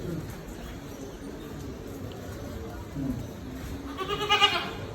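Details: Goat bleating once near the end, a short harmonic wavering cry after a stretch of low background murmur and faint voices.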